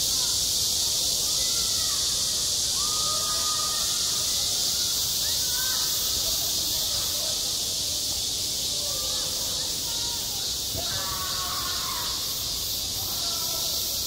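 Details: Summer cicadas calling at a school playground: constant shrill buzzing drone throughout, overlaid by scattered faint mid-pitched tonal sounds, a little stronger near the end.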